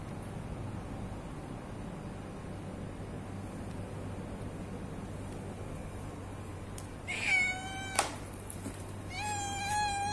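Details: Hungry domestic cat meowing twice late in the recording, harmonic calls with a falling then level tone, after several seconds of steady low hum and faint background noise.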